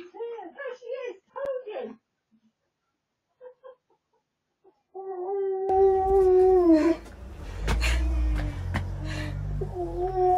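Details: A husky cries with joy indoors on a hidden camera as its owner nears home: short clipped whines, a pause, then drawn-out wavering howls over a loud low rumble.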